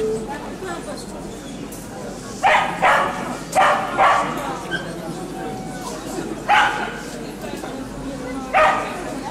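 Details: Yorkshire Terrier dogs in the junior class at the 2019 International Dog Show in Lublin: sharp, bright barks come in loose pairs and singles, about six in all, over steady crowd chatter in a busy hall.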